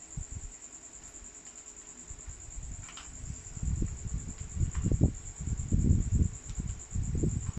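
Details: Tofee the dog snoring while asleep at 11PM, a deep raspy rumble compared to a horse, quiet at first and then growing into louder, rough pulsing breaths, over a constant thin high whine.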